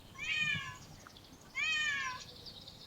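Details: Stray cat filmed in parks and streets gives two drawn-out meows, each with a slight rise then a fall, about a second apart, over a quiet low background rumble.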